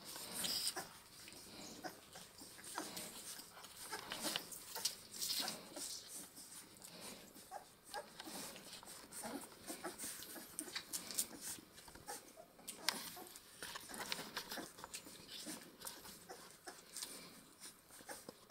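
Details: Two-week-old Saint Bernard puppies from a French breeding kennel at bottle-feeding time, with soft, high-pitched whimpers and squeaks in short bursts, plus snuffling and shuffling in a small indoor room.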